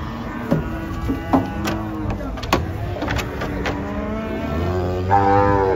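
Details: Agitated cattle, including a pair of twins, unloaded from a truck: loud knocks and bangs of hooves or metal mixed with short low moos, ending in a stronger drawn-out bellow, with people speaking.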